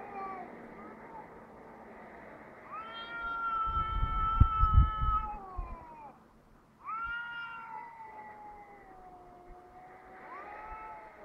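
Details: Two cats outdoors in Heerenveen calling back and forth, mistaken for a crying baby: long drawn-out wailing yowls, steady then bending down, a second voice rising in after a short gap, with a low rumble of traffic midway.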